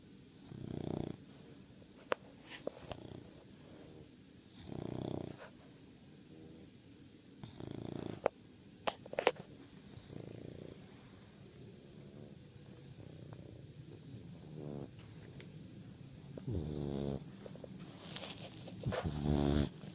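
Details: Bulldog puppy, a female, asleep and snoring like her brothers; low rumbling snore bursts come every two to three seconds, some longer and harsher, with a few faint clicks between breaths in a quiet indoor room.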